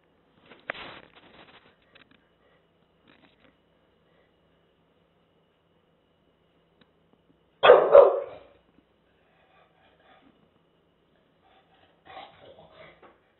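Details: Porkchop, an English Bulldog, squaring off against a taco box indoors: one sharp bark early on, a loud rough burst of barking midway, then a few faint yips near the end, with quiet gaps between.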